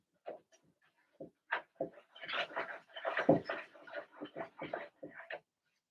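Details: Blenheim Cavalier King Charles Spaniel puppies, Remy's first litter of two girls and four boys, squabble in their indoor puppy pen: overlapping squeals, yaps and whiny yelps building into a busy, continuous chorus before stopping.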